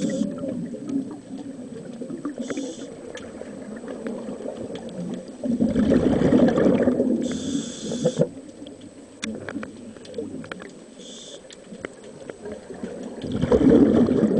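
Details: Very big bull grey seal in the Scilly Isles asserting his authority and refusing to play: deep, throaty, rumbling moans in long bursts, with a loud swell mid-recording and again at the end over a low watery background.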